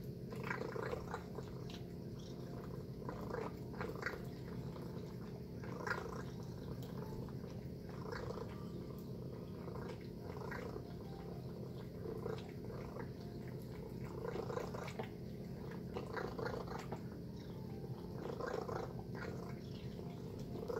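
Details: Tacy, a pet cat, eating her breakfast of chicken and beef: a steady low rumbling purr runs throughout, broken by soft wet chewing and licking clicks in a small quiet room.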